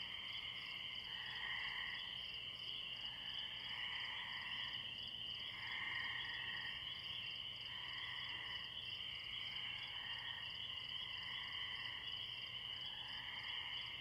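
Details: Distant chorus of spring peeper frogs at a pond beside a tree, crickets in the background; steady shrill peeping layers blend into a constant ringing wall, while softer, lower trills pulse in and out throughout.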